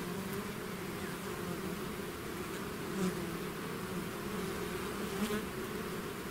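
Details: Swarm of bees pouring from the hive, heard as an unbroken, even drone with several humming pitches stacked together and a couple of close fly-bys standing out briefly.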